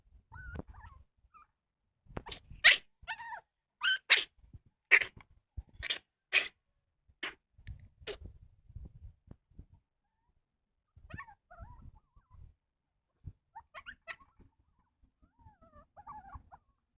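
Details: Blue, tan and white Chihuahua puppy, newly arrived at home, coughing for four days and diagnosed with kennel cough: a run of about eight harsh, hacking bursts roughly every 0.7 seconds, then faint whimpers and quiet rustling.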